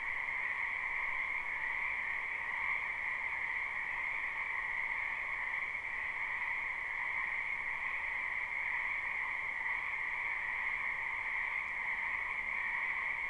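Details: Live spring recording of numerous frogs croaking in a wetland behind a house: an even wall of trilling calls, high and lower bands running uninterrupted, slight ripples in intensity but no gaps, nothing else distinct.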